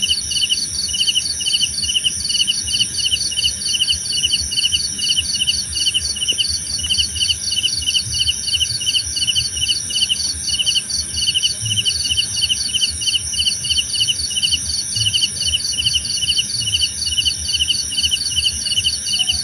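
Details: Crickets in a nature soundscape meant for sleep and meditation, a dense chorus of quick trilled chirps repeating without pause over a constant high ringing hum, with a soft low background murmur.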